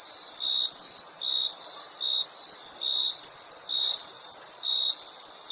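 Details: Six clear, high cricket chirps come at roughly one-second intervals, each a short tonal burst, while a continuous sharp, very high hiss fills the background.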